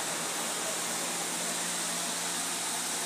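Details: Steady broadband rushing noise, like strong wind or running water, covers everything.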